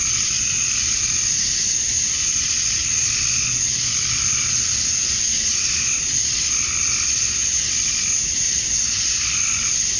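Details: On a summer evening at dusk in Georgia, USA, male cicadas call for females in a continuous high sizzling wall of sound. Gentler rhythmic pulses rise and fall roughly every two seconds.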